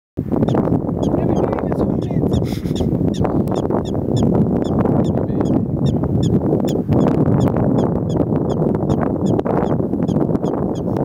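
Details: Prairie dogs in Colorado give sharp, high chirping barks, repeated quickly over a steady rumble of background noise.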